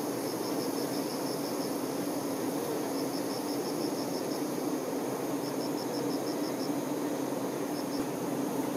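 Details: Continuous low hive drone of honey bee workers caring for their queen, unbroken and even, with three or four rows of fast high-pitched pulsed chirps sounding faintly in the background.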